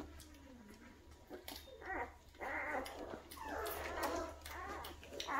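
Great Dane puppies whimper and yelp in a series of short, rising and falling cries indoors.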